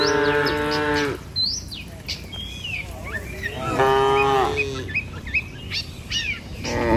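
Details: Morning herd of tame cattle, dozens strong, crossing a river bridge on the way to a field: a sustained moo, a second after a pause, and a third beginning at the end, with quick bird chirps in between.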